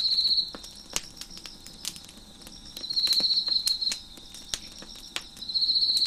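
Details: Chirping crickets heard near a crackling fire on a deck: bursts of high, rapid pulsed trilling come and go irregularly, one over a second long, over scattered snaps and pops from the burning wood.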